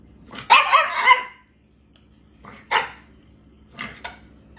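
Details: French bulldog puppy 'talking' while apparently mad: one rough, grumbling yowl-bark about a second long, then after a pause two shorter, quieter grumbly bursts, with a quiet background.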